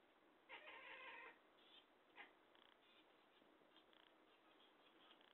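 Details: Talkative house cat letting out one strong, long meow, then a brief chirp and a scatter of faint ticking sounds against low background noise.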